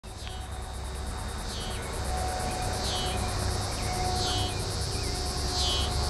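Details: A scissor-grinder cicada (T. pruinosus) at night in Carey Park on June 15, 2010, the first cicadas heard that year, gives a high, pulsing buzz that swells in rhythmic bursts about every second.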